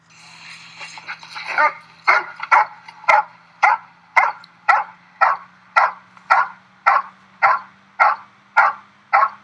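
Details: Giant Schnauzer named Fly barking during protection dog training: after a few softer, rough yelps, loud sharp barks repeat in a steady rhythm about twice a second, with a low steady hum beneath.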